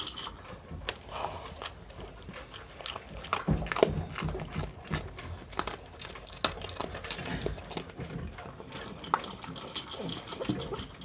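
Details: Mealtime for a Miniature Pinscher named Chi-chan eating dog food, with a long run of busy crunching and crisp clicking bites, sometimes clustered and sometimes spaced, against a quiet indoor background.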